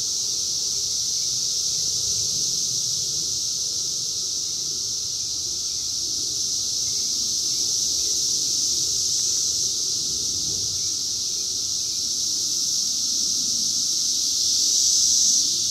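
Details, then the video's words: Massed 17-year Brood X cicadas in the wild during their 2021 emergence, captured on a phone: a continuous piercing, buzzy drone that stays even, then swells louder near the end, over a quiet low rumble. "sounds of 17 Year Brood X Cicadas 2021 in the wild"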